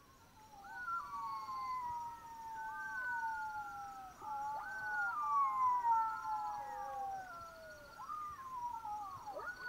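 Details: Black-backed jackals howling in chorus at night in the Botswana bush, several overlapping wailing tones sliding slowly downward from high to lower pitch, with a steady insect trill in the background.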